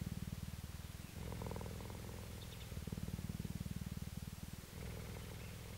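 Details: Female cheetah held at a cheetah centre in Parys, South Africa, recorded 5 May 2019, purring softly: low, even rumbling pulses roughly four per second, broken by brief pauses between breaths, with faint background hiss.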